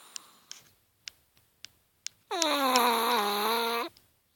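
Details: Chihuahua sleeping indoors: a few faint clicks and soft ticks, then one loud, sustained whistling snore with a nasal, reedy tone, falling a little in pitch before it stops.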